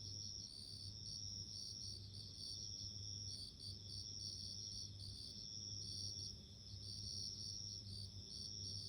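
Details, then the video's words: Bell crickets give a high, bell-like ringing in short irregular bursts, several voices layered together, with a constant low background hum throughout. "Sounds of insects】自然の音【鈴虫】"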